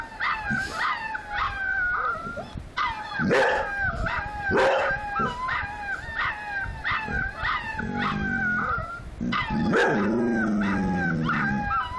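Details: A litter of puppies howls in a busy chorus of short, high, wavering cries repeated rapidly, while a deeper dog voice joins with longer lower howls toward the end.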